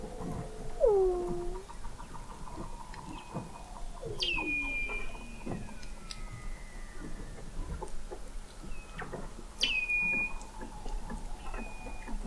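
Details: Recorded in November 2017 beneath the sea ice of McMurdo Sound, Antarctica, 21 m down at an oceanographic observatory, Weddell seals give high sweeping chirps that drop and flatten, lower descending whistles, and scattered clicks over a quiet underwater background.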